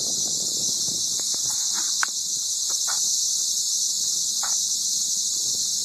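A cicada sings a steady, high, hissing buzz that runs unbroken throughout.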